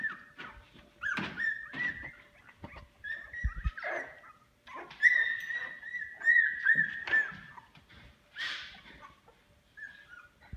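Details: Boykin Spaniel puppies, two weeks old, described as running and barking in a pool. Several high, drawn-out whimpers rise and fall in short runs, with soft scuffling and small yelps between them.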